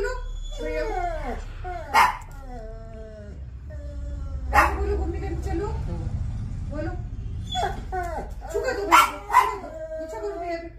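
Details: Labrador Retriever "talking" to its owner: drawn-out, wavering whines and moaning yowls that slide up and down, broken by short bursts, with background music.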